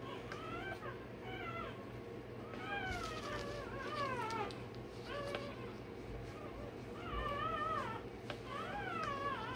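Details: Rottweiler pup one day old having its tail and dewclaws done, producing overlapping, warbling whines and mewing squeals that bend up and down, fairly quiet against a humming background.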